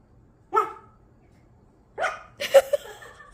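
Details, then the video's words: Single pet dog: one crisp bark, a pause of over a second, then a quick double bark with a hiccup-like catch, clear and close against a silent background. "어디서 이상한 소리가 나요"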